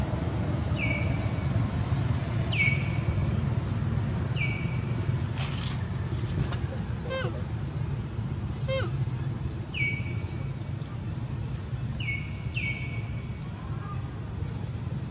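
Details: Baby monkey Baron, taken by another monkey named Bridget, cries for its mother: short tonal cries that dip then hold level, repeated roughly every two seconds, over a steady low rumble like traffic or wind, with faint clicks.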